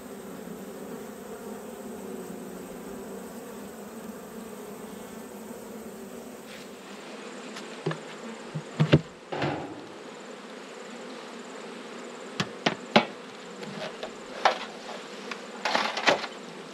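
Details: Honey bees humming steadily at an inspected hive in autumn; after several seconds the drone is punctuated by sharp knocks and clicks from handling the hive equipment.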